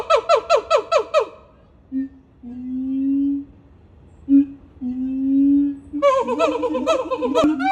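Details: Siamang gibbons from Sumatra howling and screaming while leaping about. Opens with a run of about seven rapid, pulsed, wavering hoots. Two long, low, steady booming tones follow, then a loud burst of harsh, quick barking screams.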